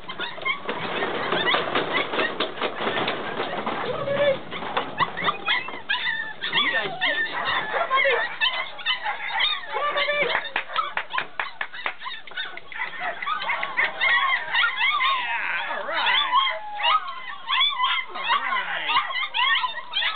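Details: Six-week-old puppies yelping and whining in a busy chorus of high, bending squeaks and short yips, overlapping constantly, while people nearby talk and call them over with coaxing words.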